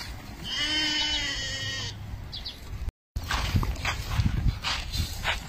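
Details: A Meatmaster sheep bleats once, a rich, nasal, wavering cry lasting over a second, followed after a cut by shuffling, knocking and rustling noises from the flock.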